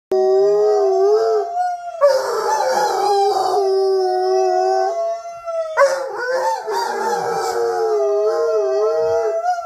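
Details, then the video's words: Rhodesian Ridgebacks howling together: long, wavering tonal howls sliding up and down, with several voices overlapping in two main bursts of chorus. No other clear sounds. "Rhodesian Ridgebacks howling"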